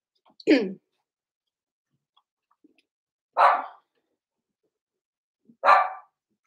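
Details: Six-week-old blenheim Cavalier King Charles Spaniel puppies, Roman and Blue, indoors in a puppy pen, born November 14, 2022: three short, bright barks spaced about three seconds apart in a quiet room.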